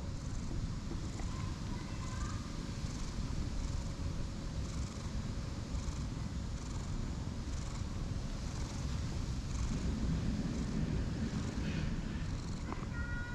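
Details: Light brown and white cat with a grumpy face, rolling around happily while being petted, purring in a steady low continuous rumble with faint rustling and a few higher squeaks over the top.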